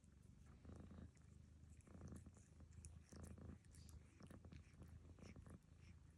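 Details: Lucy the cat snoring while being groomed by Barfi, another cat. Low rumbling breaths in rhythmic bursts about every second and a quarter, with faint high clicks from licking between them.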